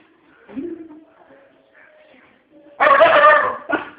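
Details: Dog barking at dogs on the TV: quiet background noise at first, then one loud, rough bark followed by a short second bark.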